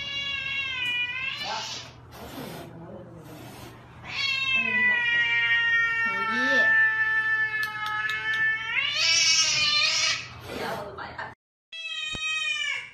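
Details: Cat from a funny pet compilation giving drawn-out, strained meows and yowls, several long wavering cries in a row, each over a second, with a short final meow after a brief silence; faint voices beneath.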